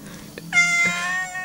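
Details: Angry pet cat, a spoiled family favourite, lets out one loud, strained, high meow with rich overtones, rising sharply then holding and fading, with soft background murmur.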